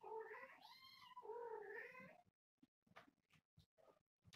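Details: Young kittens wrestling indoors while their calico mother, about a year old, is nearby. Two loud, wavering meows in quick succession, then a run of knocks and scuffling sounds.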